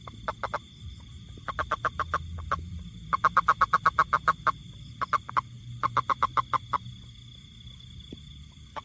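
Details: Repeated clusters of sharp, clicking pulses from a toad, about four per second within each run, broken by short silences, over low rumbling background noise and a steady high hum.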